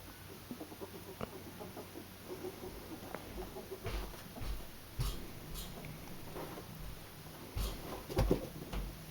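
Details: Two young pet ferrets at play make soft, clucking chuckles and scattered squeaks among low thumps and scuffling.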